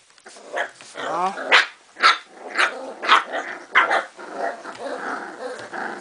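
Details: Indoors in Sweden on 22 March 2015, Cardigan Welsh Corgi puppies from the Game of Thrones litter argue after visitors leave: rough growls break into sharp yelping barks about twice a second, with a woman's voice speaking Swedish.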